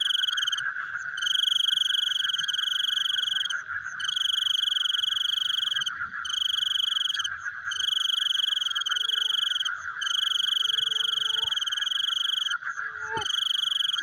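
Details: Frogs at night, with long, bright, high trills of one to two seconds broken by brief pauses over a constant pulsing chorus. A single sharp knock is heard near the end.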